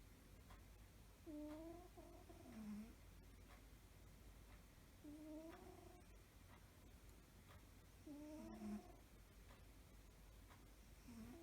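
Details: Sleeping cat snores softly and peacefully, four breathy snores spaced roughly three seconds apart, each with a thin whistling overtone that dips at the end, beneath constant low hiss.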